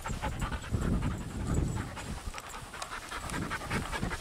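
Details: Ramsey, a Patterdale/Lakeland cross, on his first, still somewhat shy walk outdoors alongside three other dogs, Ellie, Holly and Markus: breathy, uneven panting at roughly 95 breaths a minute over low rumbling wind and handling noise.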